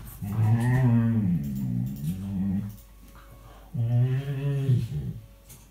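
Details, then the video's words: Chatty rescue dog Tia, who prefers talking to barking, playing with Sandy soon after moving into a new home in 2018; two long, low, wavering moan-like utterances, the first stretching over a second, separated by a quiet pause. "Tia being chatty with Sandy"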